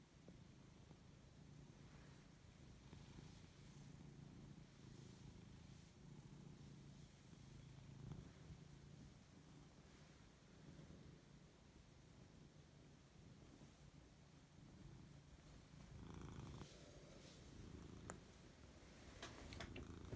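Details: Lexi, a Siberian cat, purring while waking up and enjoying fuss: a continuous low rumbling purr pulsing with each breath, growing louder near the end amid light rustling and handling noises.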